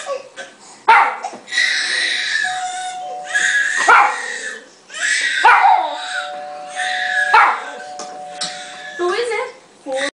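A Miniature Schnauzer gives sharp, harsh barks in spaced bursts, irritated by a crying baby on television.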